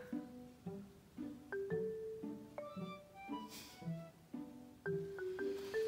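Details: Plucked and bowed instrumental music with marimba-like notes plays throughout, with no animal sounds heard.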